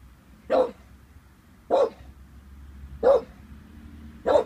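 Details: Vinnie, an 18-month-old Staffordshire Bull Terrier described as harmless, unsure of a balloon: four single deep barks, each short and punchy, spaced about every 1.2 seconds, with quiet indoor hum between them.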